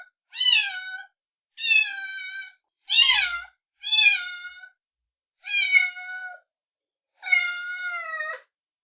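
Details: Kittens giving about six bright, sharply pitched meows, each under a second long, spaced evenly about every second and a half, with nothing else audible.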